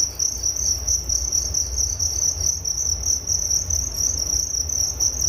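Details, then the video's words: High, shimmering trill of crickets pulses evenly without stopping, a nature sound for relaxation and sleep, over a quiet low-frequency hum. "Relaksasi Suara Jangkrik Penghantar tidur || Nature Sound of Crickets"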